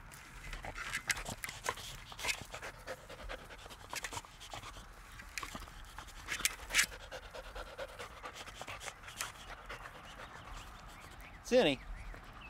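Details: Border Collie in a backyard, one of three named Chowder, Fergus and Zinni, intent on a ball during play; soft, breathy panting bursts run through, irregularly spaced, with a short wavering whine near the end.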